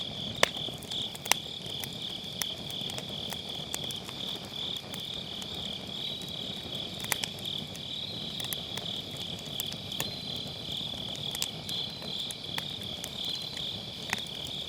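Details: Chirring of grass insects on an autumn night by a round fire pit, Sennheiser MKE600 with low cut: an unbroken high pulsing drone, faint overlapping trills, and scattered crackles of firewood.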